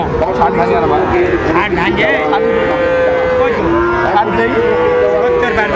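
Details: Sahiwal bull calves at Raniganj cattle market, Dinajpur, on 29 August 2024; several long, drawn-out tonal moos, some sliding down in pitch, over a dense crowd murmur and market bustle.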